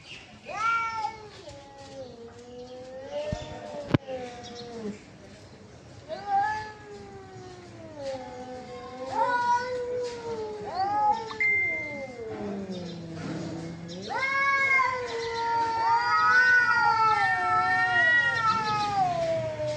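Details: Fighting cats give drawn-out moaning yowls, quieter at first, with warbling pitch bends and a sharp click, then louder overlapping howls building toward the end.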